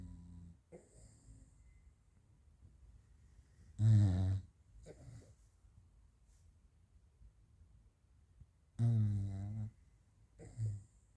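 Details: French Bulldog Raf sleeping and snoring: two loud, brief, buzzy snores about five seconds apart, each trailed by a softer snort, separated by near-silent breathing.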